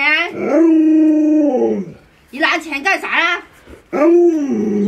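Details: Pet Alaskan Malamute named Luoluo vocalizing to rouse its owner, still in bed with the sun high. A long, drawn-out moan sinks slowly in pitch, then comes a burst of wavering, yodel-like yowls, then another swelling, falling moan.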